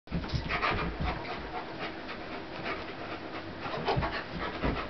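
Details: Pitbull Corona and German Shepherd Warlock, a 75 lb and a 150 lb dog, play fighting. Heavy rapid panting and scuffling breaths fill the clip with broadband bursts and no clear voiced calls.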